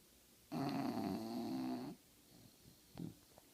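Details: Female English Bulldog sleeping through her nap, giving one long rough snore of about a second and a half with a buzzy, harmonic low rumble, then a quieter breath after it; indoor room quiet otherwise.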